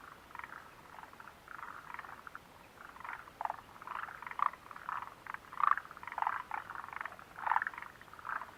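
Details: Chorus of frogs by the Mitsuishi refuge hut, recorded 29 June 2013; dense, overlapping grating croaks run almost continuously, with sharper, louder notes standing out every second or so against a steady murmur of callers.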